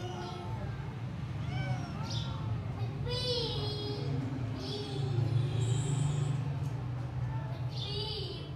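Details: Little grey stray kitten, found outdoors on 26 January 2024 and wanting into the house, gives insistent high meows, several in quick succession, some sliding downward, against a continuous low-pitched hum and a brief hiss.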